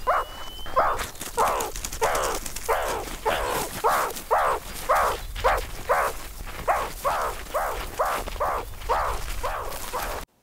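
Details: A begging meerkat in Southern Africa gives a steady run of harsh, nasal, mid-pitched calls, close to two a second, over faint outdoor hiss.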